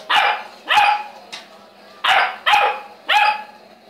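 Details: Saint Bernard barking steadily: five loud, ringing barks spaced about half a second to a second apart, with brief quiet gaps between.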